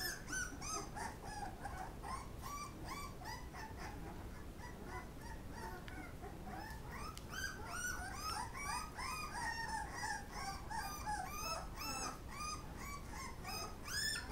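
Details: Several Pit Bull puppies squeal and whimper while eating, a dense stream of overlapping high, curved yelps, roughly two or three per second, with a steady low background rumble.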